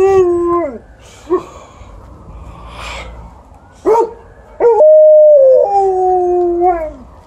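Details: Alaskan Malamute and Golden Retriever talking together: a falling howl, short yips and barks, then a held, wavering howl that slides downward at the end.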